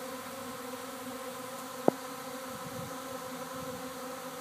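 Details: Honey bee swarm at a house in Arcata, landing near a fig tree; continuous layered humming drone from many bees, interrupted by one sharp click near two seconds.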